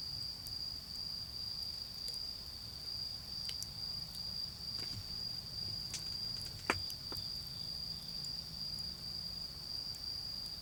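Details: Autumn insects singing beside a garden bonfire: a steady, unbroken high-pitched ringing trill runs throughout, with sharp crackles and pops from the fire and a low rumbling background.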